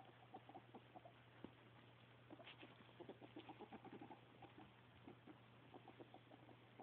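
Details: Soft, rapid clucking chatter from a ferret described as happy, in loose runs of pulses across the clip, over a steady low hum and faint background noise.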